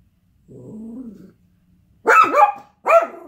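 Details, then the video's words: Yorkshire Terrier reacting to a UPS delivery, which happens all the time: a low, drawn-out growl, a brief pause, then two sharp, loud barks in quick succession. "Yorkie hates UPS"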